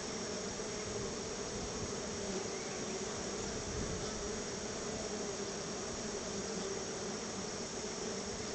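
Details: Honey bees crowding around their hive while being fed store-bought honey as a treat: a dense, steady hum with low droning bands, smeared by broad hissing noise throughout.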